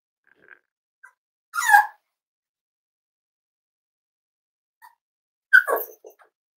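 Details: Cavalier King Charles Spaniel puppies, almost eight weeks old, in a family home litter: two short high yelps about four seconds apart, with faint tiny squeaks between, in a quiet indoor room.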